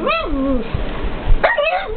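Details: Pet pug reacting to the TV programme K911: a drawn-out, falling whine-like bark, a pause, then a sharp higher bark near the end, with low TV noise underneath.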